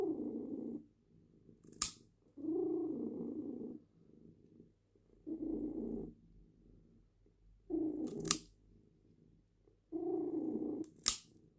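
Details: Domestic cat, female, purring while her claws are trimmed indoors: low rumbling purr bursts of about a second, pausing between, with sharp snipping clicks from the nail clippers.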